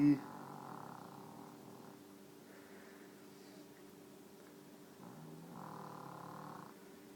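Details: Deaf female pet dog sleeping indoors in a bed, snoring: soft rasping breaths that swell roughly every two and a half seconds over a steady low hum in a quiet room.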